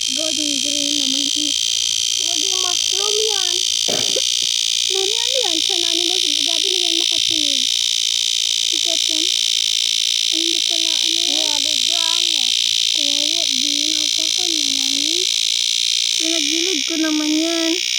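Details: Summer cicadas keep up an unbroken, shrill hissing buzz at high pitch, with no pauses or rhythm changes, while someone speaks continuously in the foreground.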